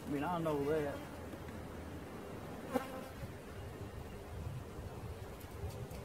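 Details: Honey bees in a swarm during capture, a low continuous buzzing drone after a short burst of human speech at the start, and one sharp knock midway.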